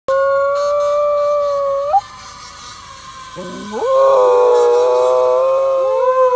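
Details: Pet dog singing along to a fire truck siren: a long steady tonal wail held for two seconds, a quieter pause, then rising, wavering howls that level off into a sustained loud tone blended with the siren.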